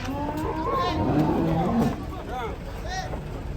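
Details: Agitated, angry cattle coming down from a truck in Indonesia. A low, droning moo swells through the middle of the recording beneath excited human voices and shouts, with steady engine and vehicle noise behind.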